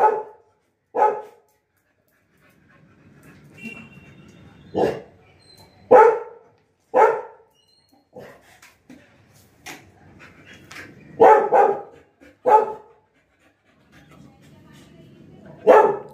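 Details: A pet Labrador named Lily barks repeatedly while her fallen apple is out of reach, giving about ten sharp barks spaced roughly a second apart, some in quick pairs, against a quiet indoor background.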